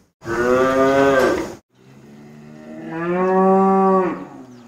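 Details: Cattle mooing: one loud, steady, harmonic low lasting over a second, a short gap, then a longer moo that starts soft and swells louder before cutting off.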